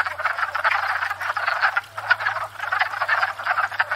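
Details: Spring breeding chorus of many wood frogs at a pond, recorded from a stationary tripod: steady overlapping raspy clucks and chuckles in quick succession, with a faint low hum underneath.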